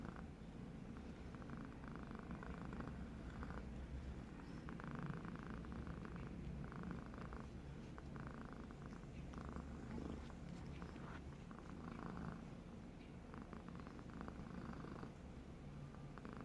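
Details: Sleeping house cat snoring, a continuous low rumble broken by raspy inhaled bursts that repeat roughly every second or so, steady and even in loudness throughout.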